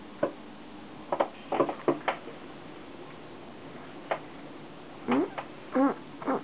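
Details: A new corgi puppy just brought home gives short, whiny yelps with a few soft clicks and bumps between them.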